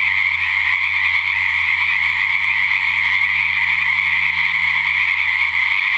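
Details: Nighttime frog chorus at a rain-filled natural pond, February 2009, 7:00pm; frogs croak loudly and continuously in a dense shrill trilling wall of sound, low background hum present.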